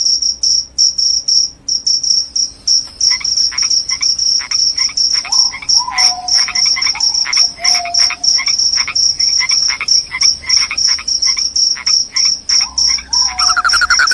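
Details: A loud chorus of crickets, said to repel rats and lull listeners to sleep, keeps up a continuous high pulsing chirp, overlaid by irregular lower clicking bursts and occasional slurred, falling whistle-like notes.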